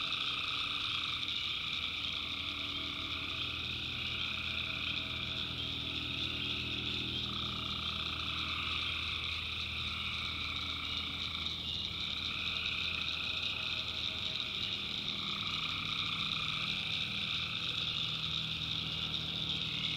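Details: Night chorus of tree frogs in a swamp in the backwoods of North Carolina. Many callers form a constant shrill, ringing wall of sound, and a mid-pitched pulsing layer swells and fades every few seconds.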